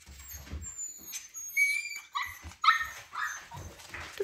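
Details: Siberian Husky Baikal at home, around the puppies he left hungry: a run of high whines and short yips spaced unevenly, about one a second, with scuffling and thumping between them.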